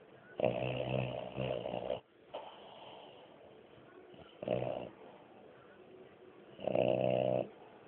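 A French Bulldog snores heavily, with rough, rattling breaths that swell and fade in uneven bursts. Quieter wheezy breathing fills the gaps between the louder snores.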